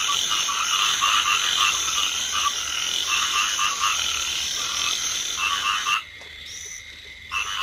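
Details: Rice field frogs in a flooded paddy during drizzle, a crowded croaking chorus with pulsing bursts that cuts out abruptly near the end, then resumes faintly.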